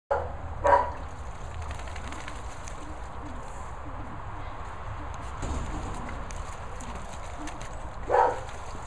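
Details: Labrador Retrievers Luna and Maizey: two short, sharp barks, one near the start and one near the end, with a quieter sound in between over steady background noise.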